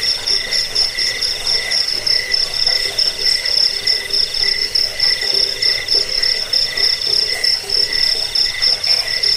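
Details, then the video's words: Cricket chorus meant to drive off rats and to serve as a tutor sound for cage birds, pulsing in uneven bursts of high-pitched trilling about once a second, layered shrill and lower tones, nothing else audible. "Suara jangkik pengusir tikus pengantar tidur"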